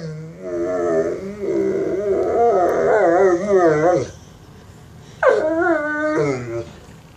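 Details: Mastiff begging for bacon, producing a long, loud, quavering whine-howl for about four seconds, then a shorter rising and falling whine after a brief pause.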